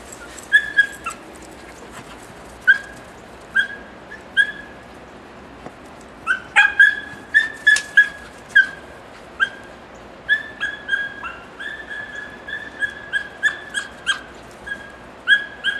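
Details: Odin, a seven-month-old Beagle/Basset Hound mix, chases another dog, Dixie, through his first snow in Connecticut. He gives high, tonal yelping bays in short bursts, sparse at first, then a rapid near-continuous run from midway on.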